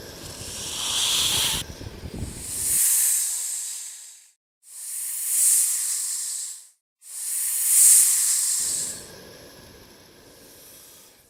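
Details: Snake hissing as a warning to intimidate a threat: three dry, drawn-out bursts of breathy hiss, each about two seconds long, separated by short silences, with low rumbling noise under the first burst.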